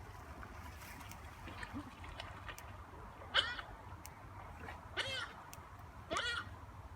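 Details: Giant otters at play give three short, wavering squeaky calls, spaced roughly a second or more apart, over a steady low background rumble and faint murmuring.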